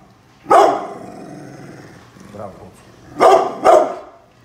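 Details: Brindle pit bull named Bullet barking at construction workers outside while guarding the house; one loud bark, then a soft low sound, then two quick barks near the end, with some talking mixed in.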